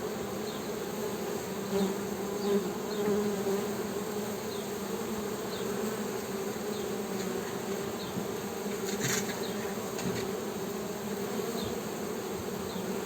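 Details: Continuous droning hum of Western honey bees, strong low bands holding evenly for the whole stretch, with a brief sharp tick near the ninth second and faint high chirps in the background.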